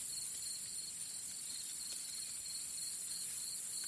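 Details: Crickets in a cornfield, where a crow is also present, chirp in a steady, high-pitched pulsing trill of about three pulses a second over a constant faint hiss.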